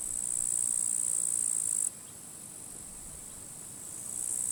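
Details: At a forest edge in dry, withered grass on a sunny, windy end-of-July day, grasshoppers give a steady, high sizzling hiss that cuts off abruptly midway and then slowly returns quieter, with soft wind noise.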